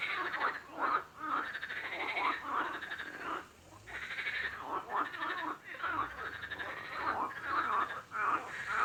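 Frogs croak in rough, rattling bursts, about two each second, overlapping into a steady chorus.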